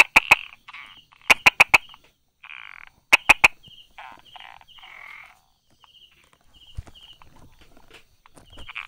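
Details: Brauer's tree frog hiding among rock crevices and grass, recorded 22 July 2016 at 10:44, giving sharp tapping 'da-da' clicks in quick bursts of two or three, with softer buzzy, whistled sounds between the bursts.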